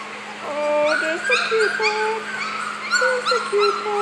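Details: Four-week-old puppies whimper in clear, thin, drawn-out whines, some sliding down in pitch, repeated with short gaps over a faint steady hum.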